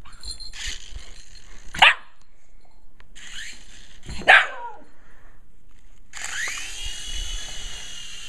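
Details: Kiba, a Shiba Inu, barks twice while playing with a remote control helicopter. The helicopter's whining motor then rises in pitch and hums steadily to the end.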